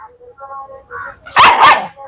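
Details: Pet dog at play in a dog challenge: quiet Malayalam speech first, then a sudden loud double bark near the end.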